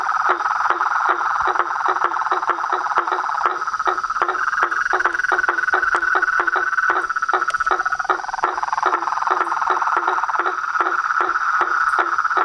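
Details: Frogs and toads calling in a dense night chorus at a pond in front of a house at dusk, a continuous buzzy band with overlapping rapid pulses and sharp repeated clicks throughout, no other clear sounds.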